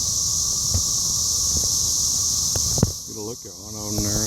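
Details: Cicadas around a Rotary meeting in Cape Girardeau, Missouri, on 4 June 2015, recorded by phone; a steady high, hissing drone with a few clicks, then a person speaks over the fading chorus.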